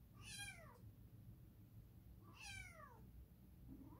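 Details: Edgar the cat gives two drawn-out meows, each a bright harmonic call that rises then falls, spaced about two seconds apart, over a low steady indoor hum.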